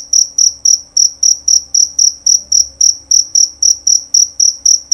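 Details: A jerabang cricket gives a loud, clear chirp: sharp, piercing high pulses, about three per second, evenly spaced across the recording with a quiet room hum behind.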